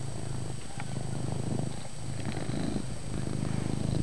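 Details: Loud purring from Chase, a pet cat in a room: a continuous deep rumble with rapid even pulses, holding steady for about four seconds and growing a little stronger at the close.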